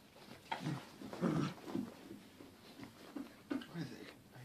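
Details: A Corgi, described as confused, gives short low whimpering and grumbling sounds in a small indoor room, several brief bursts over a few seconds, mixed with human talking.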